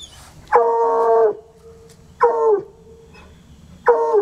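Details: Coonhounds Sunny and Hazard, untrained, keep at it for hours: three long, steady howls, each close to a second, holding a level tone and falling at the end, with quiet pauses of over a second between them.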